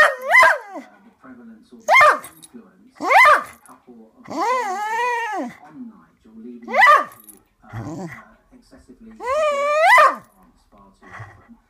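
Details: A female Cocker Spaniel howls wolf-like in a series of rising, wavering notes, each lasting about a second.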